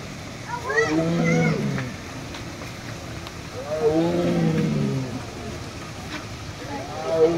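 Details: A female tiger at Fresno Chaffee Zoo in 2007, recorded after closing time, gives deep, drawn-out roars that slide downward every few seconds; she began calling after drinking, eating and pacing.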